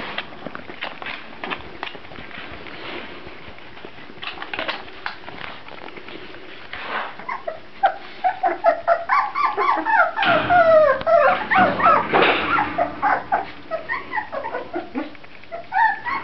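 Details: Grand Basset Griffon Vendéen puppies indoors: after a quiet, noisy start, a dense run of high, wavering whimpers and squeaks, rising and falling and overlapping in quick succession, with several pups calling at once.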